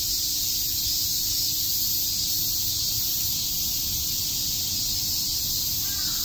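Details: On a summer day at Tokyo's Shakujii Park, many cicadas chirp together as a continuous, intense high buzz that holds level throughout, with a faint low rumble beneath.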